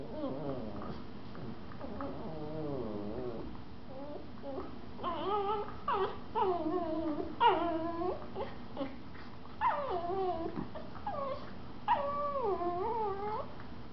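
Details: Two Miniature Schnauzers, a mother and her 4-month-old pup, whine and yip in wavering, rising-and-falling tones while playing in a living room.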